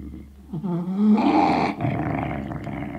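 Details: A terrier of the Sealyham breed, indoors with a bone, lets out a rising whine that turns into a rough, snarling growl and then fades to a low rumble.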